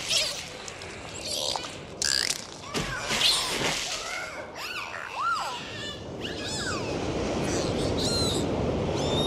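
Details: Swimming dolphins underwater give a run of arching whistles, some rising then dropping, mixed with sharp click trains and pulsed squeaks against constant water noise.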